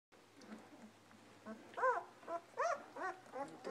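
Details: German Shepherd puppies almost two weeks old, snuggling in for the night: soft, arched whimpering cries, rising then falling, repeated about every half second and growing louder toward the end, over a quiet indoor hum.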